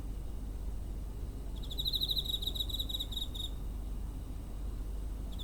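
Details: Single high-pitched pulsed cricket trill lasting about two seconds, recorded near home on 7 September 2023 with a TASCAM DR-05, the start of another just audible at the end, over low steady background noise.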